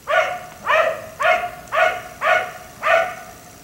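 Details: Black Labrador retriever kept outdoors late into the night, until 1am, giving six loud, ringing barks spaced about half a second apart in a steady, insistent rhythm.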